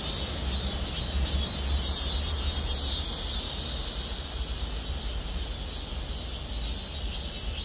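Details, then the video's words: Cicada chorus in trees over a parking lot at Gwangmyeong city hall, South Korea; a continuous high buzzing hiss with soft pulsing swells, over a noticeable low-frequency hum, likely traffic or machinery. "맴맴맴 매미소리. 매미들의 합창"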